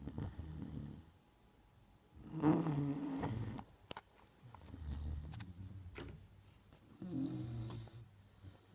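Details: Sleeping Neapolitan Mastiff named Margo snoring indoors: low, rough, throaty rasps rising and falling with each breath, three main snores across nine seconds with quieter breathing between.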